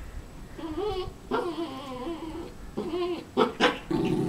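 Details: Havanese dog, wanting another dog's bone, makes wavering whine-growls indoors. Several tonal moaning phrases rise and fall, followed by a few sharper yips toward the end.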